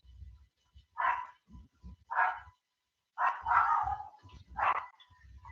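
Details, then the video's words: A dog outside barks several times at uneven intervals, sharp mid-pitched bursts heard from some distance through an indoor microphone during a Halloween livestream. "let me know if you can hear that dog barking outside I don't know if my mic is picking it up"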